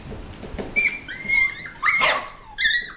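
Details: Six-week-old Mini Goldendoodle puppies from Biscotti and Leo's litter, playing indoors. High, thin whines slide down in pitch, some long and wavering, with a louder cluster of squeals near the middle.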